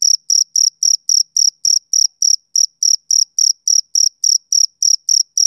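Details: Summer-evening male cricket giving about twenty crisp, shrill chirps in just over five seconds, each a short high buzz with a slight break midway through the run, background otherwise quiet.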